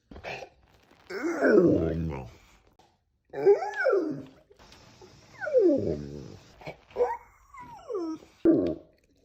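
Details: Pet dog stretching and vocalising inside a room: a series of five or six wavering whines and groaning moans, rising and falling in pitch, some with growly edges, broken by short pauses and faint human voice.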